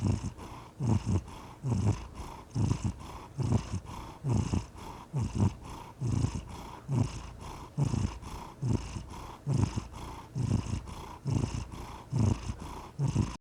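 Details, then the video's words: Contented house cat purring close up, a deep continuous rumble rising and falling with each inhale and exhale, very regular throbs near once per second throughout, nothing else audible. "The Soothing Sound of a Purring Cat"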